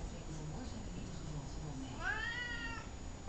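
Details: Talkative pet cat named Columbus meowing indoors: one clear harmonic meow near the end, rising then falling, under a second long, with a woman's voice softly calling his name nearby.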